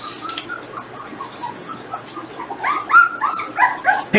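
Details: Jindo dogs, a litter of 18-day-old puppies and their parents, at home while being weighed. Thin, high squeals and whines repeat in quick, uneven bursts and grow louder and denser toward the end. A person speaks softly nearby.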